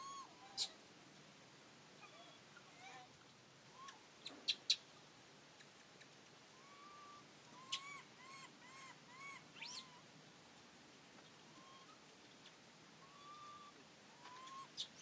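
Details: Monkeys, with Rany blocking food from little monkey Aryan; short tonal whimpers and squeaks recur throughout, some in quick runs of three or four, among scattered clicks and knocks.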